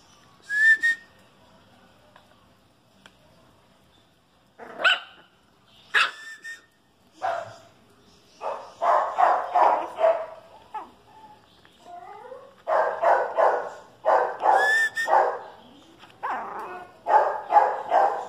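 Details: A Chihuahua and a dachshund face off indoors, with scattered high yips and whines at first, then bursts of rapid, sharp, repeated barking, sometimes overlapping, with brief thin whistle-like whimpers in between.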